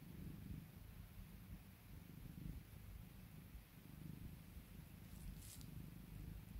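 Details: Domestic cat purring while being calmed and spoiled by its owner: a steady low rumbling purr that swells and fades with each breath, continuous throughout, with a brief faint rustle near the end.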